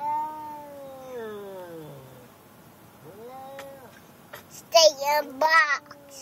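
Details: Riding to the vet and angry in the car, the cat Gilligan lets out a long, drawn-out meow that slides downward, then a shorter arched one, before a child's voice breaks in near the end.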